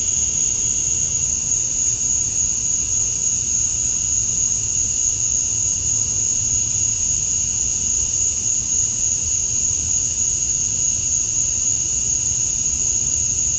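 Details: Male cicadas chirping to attract females at dusk on a summer night in Georgia, USA, keep up a steady, high, shimmering drone that never pauses or changes pitch.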